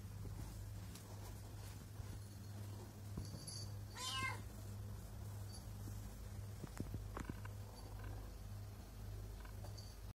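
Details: Pregnant house cat at a person's feet, meowing and purring; a single brief bending meow around four seconds, set against a continuous low hum and a few faint taps and rustles.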